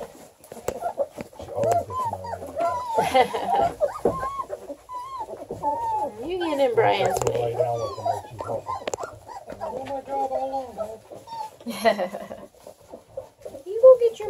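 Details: Several hungry Redbone Coonhound puppies at a kennel near Kingston, Ontario, Canada, crying together in a dense chorus of wavering whines, squeaks and short yelps, with soft low thumps and shuffling underneath.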